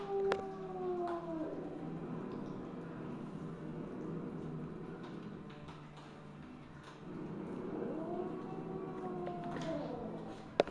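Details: Siamese mother cat Misu, evening of 2 January 2015 at 8:18 PM: a descending wavering meow opens, then a quiet stretch of low rumbling background before a second long, arching meow near the end, closed by a sharp click.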